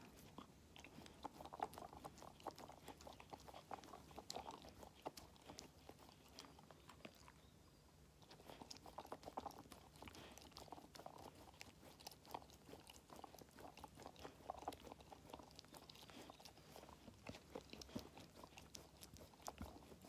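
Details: Five-month-old Labrador Retriever puppy eating treats, with steady crunching and biting: dense bursts of sharp clicks and crackles throughout, a short quieter pause near the middle, then chewing resumes at a similar pace.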